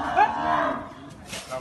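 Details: Very large cow jumping around while being led out at Paglahaat: a single drawn-out, wavering moo lasting about a second, with people talking in the background.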